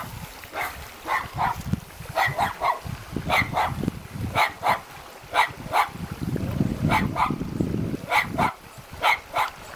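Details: Two puppies standing guard at a house in the mountains near Jeonju, North Jeolla Province, Korea, barking in sharp bursts, often in quick pairs, about sixteen barks in ten seconds over low rumbling background noise.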